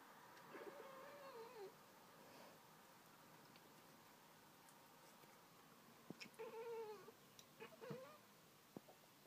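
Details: Pringles, a pet cat indoors, chattering at birds outside: soft harmonic chirping vocalizations around 0.5–1.5 s, then louder bursts with stuttering clicks near 6–8 s, quiet room between.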